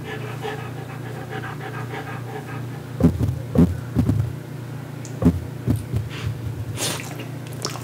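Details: A Frenchie licks pumpkin purée off a spatula. Soft panting gives way to a cluster of sharp, wet smacking licks in the middle, then scattered lapping sounds over a low steady hum.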